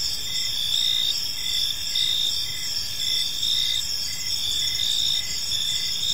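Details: Park crickets at evening: unbroken high ringing trill with repeated short chirps close to once a second, a few callers overlapping above soft low rumble.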